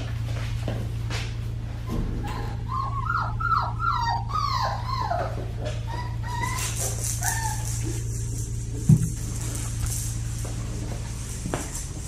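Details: Black tri female Australian Shepherd puppy from Bindi's litter at Fifteen Acre Farms, Oklahoma, giving a run of soft, wavering whimpers that rise and fall, clustered between the first and seventh seconds over a steady low electrical hum.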